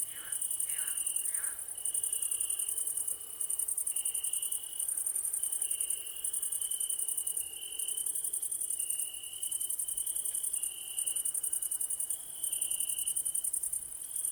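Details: Crickets chirping in an evening ambience: a dense, steady high trill with a fainter pulsing band beneath, plus a few brief lower calls near the start.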